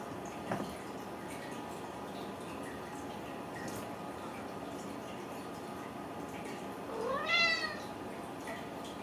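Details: Ragdoll kittens raised in a home cattery in central Kansas, without cages; a single rising-then-falling harmonic meow comes near the end, set against steady quiet room hiss with a few faint clicks earlier.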